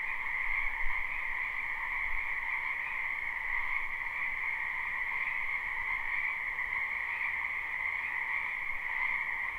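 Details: Dense chorus of many frogs croaking in a spring wetland behind a house, recorded live without looping; a steady, unbroken trilling drone with two bright pitch bands, faint low rumble beneath.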